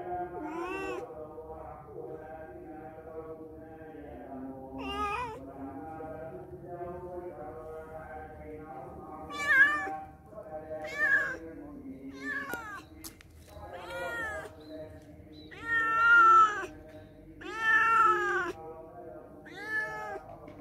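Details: Cats that came to a house and stayed only a day or two, meowing: drawn-out rising-then-falling meows recur through the recording, sparse early and louder, longer ones near the end, over a steady low background hum.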